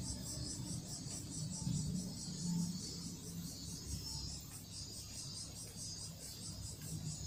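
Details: Cicada call with Toto-kun the cat nearby, heard as a thin, high buzzing drone pulsing in quick regular beats above a deep background hum.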